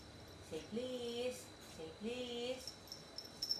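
A Shih Tzu gives two drawn-out, moaning whines, begging for food.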